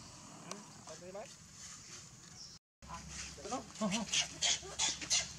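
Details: Tiny baby monkey crying: short, high, wavering harmonic squeals that rise and fall, in brief bursts between quiet stretches, with sharp clicking and rustling noises throughout.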